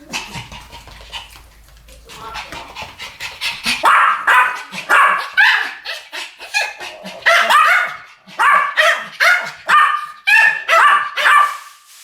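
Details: Pomeranians in a duet barking session, high sharp yapping barks starting after a quiet opening, then fast irregular volleys of overlapping barks from two dogs.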